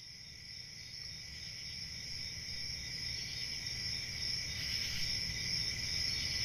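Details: Crickets chirring in a steady, unbroken chorus, several high shrill tones layered together and slowly swelling louder, over a soft low rumble.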